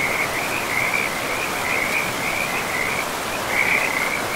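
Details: Continuous chorus of frogs by a river in a pristine forest: bursts of rapid, buzzy mid-pitched trills follow one another almost without a break, layered over the even rush of the river.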